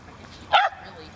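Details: At a dog park, a Cardigan Welsh Corgi puppy playing with other dogs gives a single short, bright yap in the middle of a quiet stretch with low background murmur.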